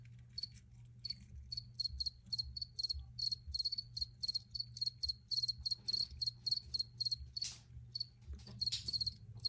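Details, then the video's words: Recorded crickets giving a fast, regular run of high pulsed chirps, several per second, with a brief pause near the start and a faint low hum throughout. "Free Cricket Sounds for Re-Use or Relaxation"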